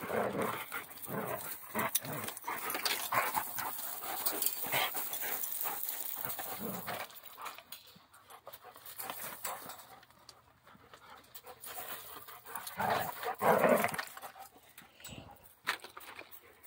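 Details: Several Central Asian Shepherd Dogs at play: quick panting breaths and short whimpering sounds mixed with scuffles, steady for the first seven seconds, then sparser, with a louder flurry near thirteen seconds.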